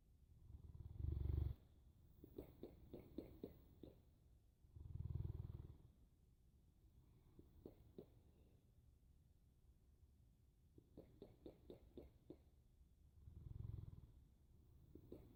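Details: Boerboel snoring in three deep, low rumbles spaced several seconds apart, with soft rattling clicks of breath filling the gaps between them.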